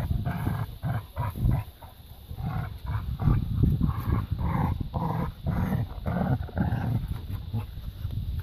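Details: Labrador retriever puppies at play in a garden keep up continuous rumbling growls broken by short gruff barks and snorts throughout, with almost no pause.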